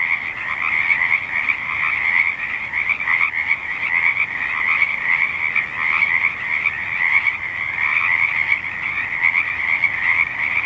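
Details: A dense chorus of frogs at the State Street wetland in Olympia, many voices overlapping in steady, trilling, high-pitched croaking.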